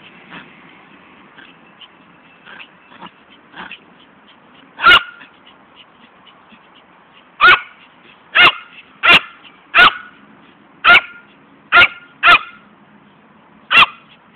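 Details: Fani, a female Poodle, plays while chasing a ball. Several soft, quick yips come first, then nine loud, sharp barks spaced about a second apart with short pauses between them, over a low background hum.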